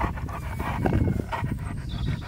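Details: Male Siberian Husky panting rapidly, quick breathy bursts repeating several times per second over a steady low rumble, with a faint thin whistle-like tone near the end.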